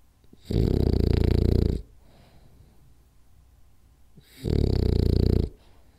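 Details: Napping French Bulldog Rolly gives two long, harsh, rumbling snores about three and a half seconds apart, each over a second long, with near silence and soft breaths in the gap indoors.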